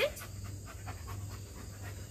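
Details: A one-year-old German Shepherd panting during obedience training: quick rhythmic breaths, about five per second, over a steady low hum.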